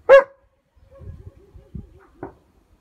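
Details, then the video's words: Odin, a German Shepherd, reacting to a hot air balloon: one loud sharp bark at the start, followed by soft low huffing and whining sounds and a fainter second bark near the end. "Odin's Balloon Tantrum"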